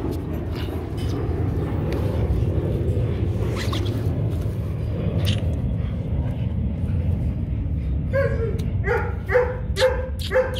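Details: Rottweiler Kute Gervi, a 15-month-old dog sired by young champion Bruno out of Cynia Gervi; after a long stretch of low rumbling background noise, a run of short, high whining yelps comes in quick succession over the final seconds.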